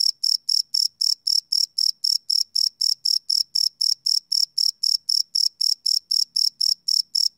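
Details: Night-time cricket chirping captured live with a Sony PCM D100 recorder; sharp, high-pitched chirps follow one another evenly, about four each second, over a quiet background with a faint low murmur near the end.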